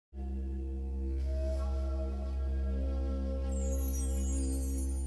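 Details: Steady ambient drone music with layered sustained tones and a bright shimmering wash joining near the end; no animal voices heard.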